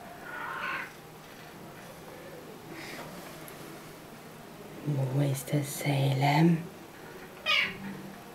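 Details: A Siamese cat playing his favourite peek-a-boo game talks back to a person with drawn-out, wavering meows.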